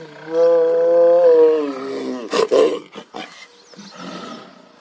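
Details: Two tigers sitting together roar: a long, deep, moaning roar followed by short, rough grunting bursts.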